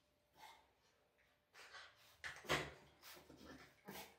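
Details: Bull Terrier, one of the pair Danny and his son Rich, heard indoors giving short whiny yelps and soft vocal bursts, several spaced over four seconds, with quiet pauses between.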